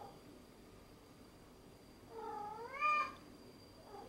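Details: A cat playing with a sponge cube gives one drawn-out meow lasting about a second. The meow rises, then falls, and has a rich, harmonic tone. A faint steady hum runs underneath.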